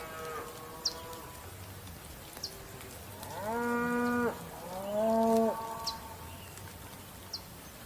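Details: Bull giving two loud, drawn-out harmonic moos back to back, each rough and steady before tailing off, with a quieter lowing at the start and scattered high bird chirps in the background.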